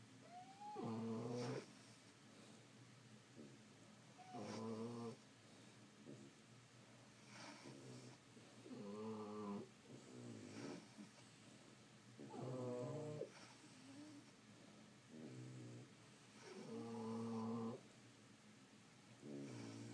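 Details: French Bulldogs sleeping and snoring steadily, a loud rasping snore roughly every two to three seconds, each with a nasal whistled edge over a low rattling base.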